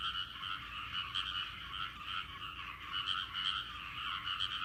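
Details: Rice-paddy frog chorus: many frogs croak at once in a thick, continuous rattling wash with faint pulses, no other clear sounds.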